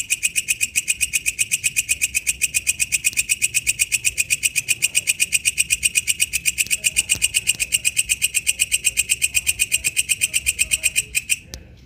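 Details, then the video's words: Wild katydid, walang kecek, producing an even series of sharp, buzzing pulses around four per second, steady for most of the stretch before a couple of clicks near the end. "suara asli walang kecek dialam liar"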